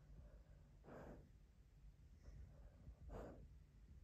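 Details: A male Cocker Spaniel sleeping and dreaming in a person's lap snorts softly, two airy puffs of breath about two seconds apart, with only low room hum between them.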